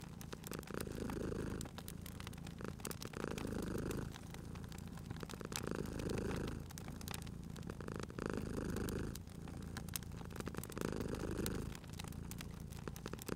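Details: Rhythmic purring of a cute sleeping cat by a crackling fireplace, cozy spring ambience: deep rumbling swells lasting about two seconds each, separated by quieter breaths, with steady fire crackle and occasional sharp pops.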